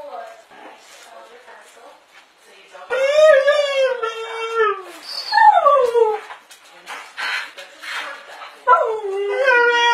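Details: Pet dogs arguing with each other: after soft background noise, a series of long sliding howls and whines, some falling sharply in pitch, overlapping in a vocal back-and-forth.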